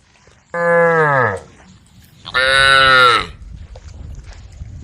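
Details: Cows on a road at the forest's edge calling the herd: two strong moos in quick succession, the first sliding downward, the second louder and brighter, then low background rumble.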